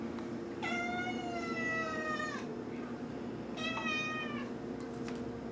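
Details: Whiny meowing from a 3-year-old male mackerel tabby cat as fish-flavored wet food is brought out. There are two drawn-out, slightly falling meows, the first long and the second shorter, over a constant background hum.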